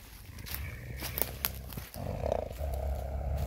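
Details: Coyote growling low after being spooked and grabbing a person's glove, recorded May 13, 2021; a deep, steady rumble in the second half, preceded by rustling, footsteps and scuffling.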